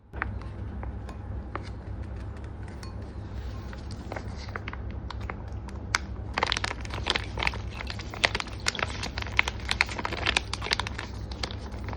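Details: Crinkling and crackling handling noises over a low steady hum indoors, growing busier after six seconds, with no animal call heard.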